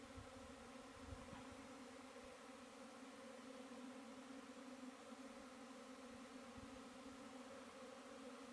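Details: Honey bee buzzing: a steady, even drone with a low fundamental hum and stacked overtones, unbroken for the whole stretch, with a few faint low thumps early on.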